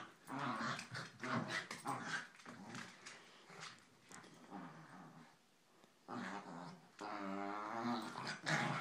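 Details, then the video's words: Pair of Corgis growling during a long play fight indoors; dense, rumbling growls run almost continuously, rising into harsher, tonal snarls near the end with scrabbling between bursts. "Corgis Bailey and Nina play fighting"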